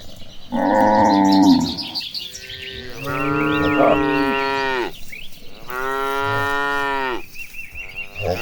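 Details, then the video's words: Herded cows walking to a green pasture; three long, deep, harmonic moos, each one to two seconds long, the later ones droning and steady, with high bird chirps and trills behind. "The Sound of Mooing Cows Walking Toward the Green Pasture"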